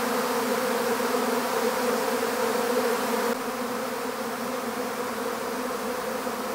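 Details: A honeybee swarm during capture into an empty hive, producing a loud, dense buzzing hum that drops abruptly to a softer drone after about three seconds.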